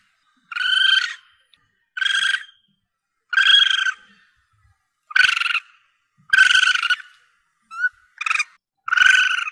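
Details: Young Asian palm civet calling, used by hunters to bring in the target: hoarse, harmonic mewing notes spaced one to one and a half seconds apart, ending in a quicker cluster of short and long cries.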